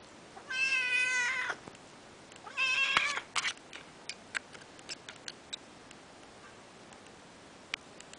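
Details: Peterbald kitten named Furry, two and a half months old, playing in its enclosure: two drawn-out harmonic meows about a second each, the second rising then breaking, followed by scattered ticks and taps of play.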